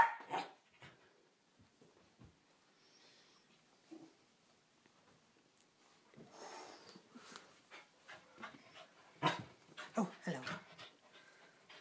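A Pembroke Welsh Corgi gives sharp, scattered warning barks at a perceived threat.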